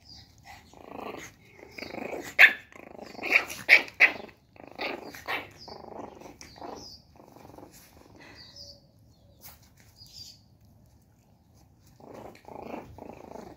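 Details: One-month-old Shih Tzu puppy getting mad, producing a run of short, high yappy barks and growly grunts in quick bursts, loudest in the first four seconds, then quieter squeaky yips toward the end.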